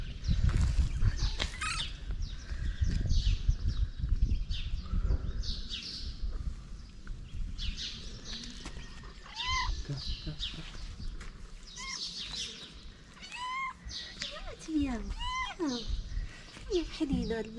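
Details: Hungry pregnant calico stray cat on a street in Morocco, fed daily by a local carer: several short arched meows, some repeated in quick runs, over constant high chirping of small birds and a woman speaking softly in Arabic.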